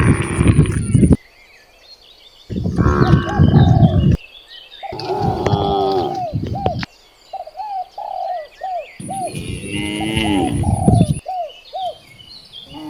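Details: Cows on village streets during morning herding give loud, deep moos in bursts, with small birds chirping between them.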